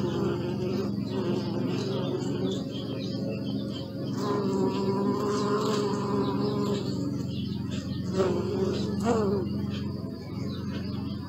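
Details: Bee buzzing close by, a steady droning hum with layered tones that swells louder in the middle and fades slightly toward the end, with a few faint soft chirps in the background.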